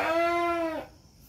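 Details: A single short Batur Merino sheep bleat during lambing of two lambs: one steady, level, nasal note lasting under a second, ending abruptly into quiet room tone.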